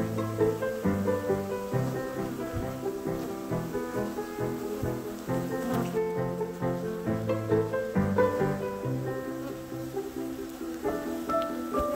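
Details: Plucked guitar and piano music plays steadily throughout, with no animal sound heard.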